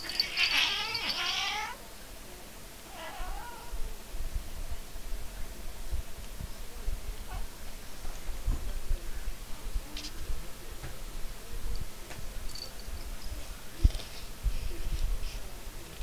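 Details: A Maine Coon tabby and a black cat named Chibi: one loud, drawn-out harmonic meow opens, a softer brief meow follows about a second later, then quiet room noise with faint clicks.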